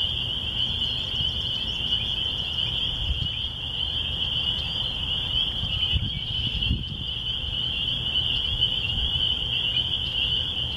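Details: Countryside spring peepers in spring near a church, a constant high shrill chorus of overlapping peeps. Occasional faint bird notes sit above it, and a dull thump is heard partway through over low rumble.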